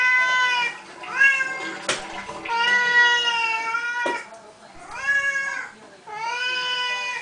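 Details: Pet Siamese cats at feeding time wailing insistently: loud, sustained meows with rich overtones, some rising then holding steady, broken by sharp clicks and clatter.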